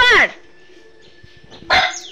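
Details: Pet dog at home barking at the owner's wife, whom it does not recognise; two sharp, harmonic barks with falling pitch, one at the start and another near the end, quiet room between them.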